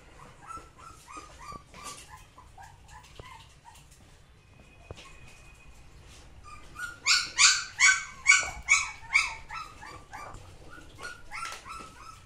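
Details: Samoyed giving soft, quick yips at first, then a loud run of about eight ringing barks in steady rhythm near the middle, fading back to quieter yelps.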